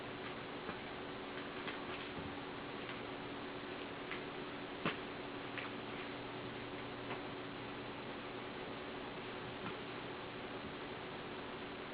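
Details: Indoors, a soft steady hiss is punctuated by faint irregular ticking clicks, with no animal calls.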